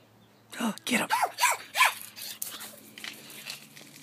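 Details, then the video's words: Chihuahua rat terrier guarding a house in Palm Springs; a quick run of five or six sharp, rising-falling yappy barks within about a second and a half, trailing off into softer noises, with a low indoor hum. "guards the house"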